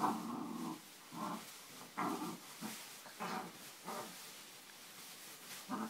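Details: Four-month-old English Springer Spaniel puppy at play on a bean bag, giving low, rough growling bursts of about a second each, roughly every two seconds, with quiet gaps between them.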